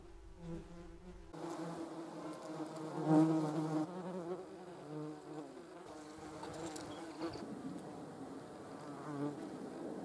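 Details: German wasps (yellow jackets) filmed with a Sony RX10 III camera; silence at first, then a steady low droning buzz with stacked harmonic tones that swells and wavers in pitch, one louder pass near the middle.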